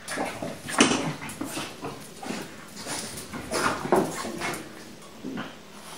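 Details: Indoors with his new toy and thinking himself unobserved, Pixel the French bulldog mauls it, giving rapid raspy grunts, small whimpering yips and snorts amid continuous rustling and thumping.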